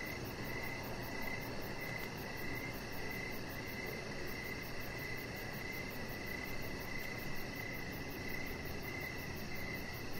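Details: On a deck in the evening, crickets keep up steady mid-pitched pulsed chirping with a fainter rapid high trill, set against continuous broadband background hiss.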